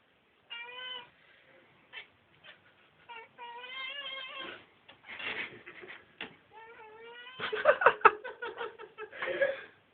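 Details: Pet cats indoors trying to catch a fly, making repeated short harmonic meows and chattering calls, some wavering and stuttered, with bursts of rapid broken chirps near the end.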